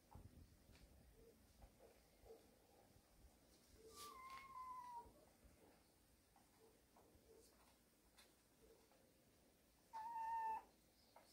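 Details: Cat family living in a warehouse, mother and kittens resting together: two separate meows about six seconds apart, the first falling in pitch, the second shorter and level, with light rustling and soft clicks in between.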